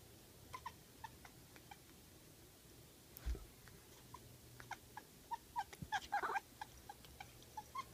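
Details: Kiwi, a pet cat, chattering at a bug: short, faint clicking chirps scattered through the clip, coming in a denser burst of rapid chatter near the end, with a person talking softly to her.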